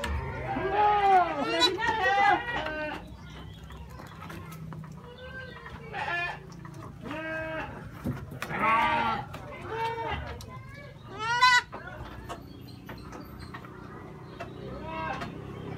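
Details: Young goat kid brought along while grass is cut for fodder, bleating as if it had just found food: a series of wavering, arched bleats of varied pitch, interleaved with people talking and laughing nearby.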